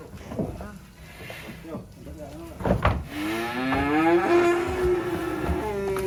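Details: Black sacrificial cattle leaving a truck at an inland livestock pen. Thuds and low engine-like rumble come first, then a long, gently rising moo with a rich harmonic tone that lasts about three seconds.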